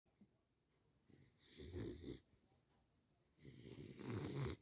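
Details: Ginger, a sleeping pet Beagle, snores: two loud, rough, breathy snores with deep rumbling and a hissy top, each lasting about a second, separated by a quiet pause with faint breathing.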